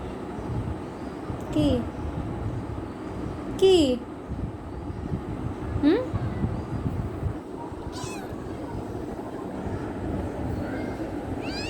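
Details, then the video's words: Kitten wanting love, giving short rising meows around two, four and six seconds, with faint chirps and a steady low rumble of background noise; a child's voice speaks nearby. "Cute kitten wants love"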